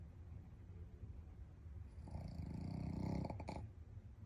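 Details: Kirky, a sleeping Shih Tzu, snores with a low, rattling rasp that swells to one buzzy breath, then fades; the sounds are described as dream sounds.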